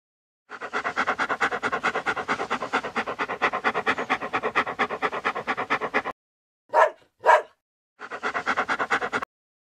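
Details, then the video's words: Dog panting rapidly in a steady rhythmic series of breathy huffs, about two per second, broken by two short sharp barks near the end before the panting resumes. "Dog Barking and Panting"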